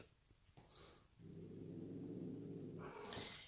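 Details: Sid, a Bengal cat frightened by a new bride, growls low and steadily for about two seconds after a brief quiet start; a sharp scuffling noise follows at the end.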